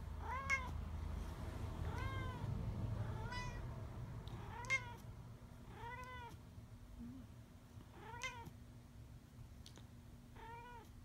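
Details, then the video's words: Talking pet cat that sleeps on his back, meowing indoors: a run of short, arched, harmonic meows, about eight in eleven seconds, each rising then falling, spaced roughly a second apart, over a low steady hum. "The talking cat"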